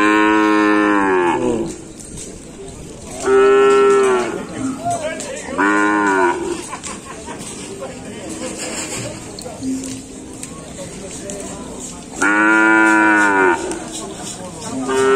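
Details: New cattle from Sapudi Island at an anniversary celebration; four loud, harmonic moos, each one to one and a half seconds long, spaced irregularly over fifteen seconds, with crowd noise and faint music between calls.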